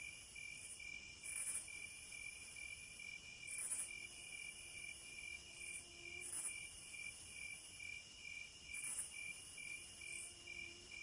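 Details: A chorus of many crickets keeps up continuous high-pitched pulsing trills, with louder individual chirps at irregular moments. Faint, short, low tones are heard a couple of times in the background.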